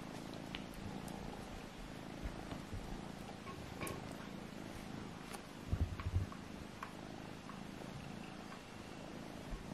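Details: Purring kitten during a play fight between littermates Alfonso and Amur: a dense, low, pulsing drone holds steady across the whole stretch, with a short cluster of thuds midway.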